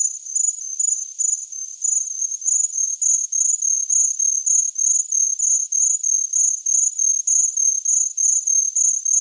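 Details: Shrill cricket chirps form a high, steady band of rapid pulses, grouped into short bursts about three per second and kept up unchanged, with nothing else audible.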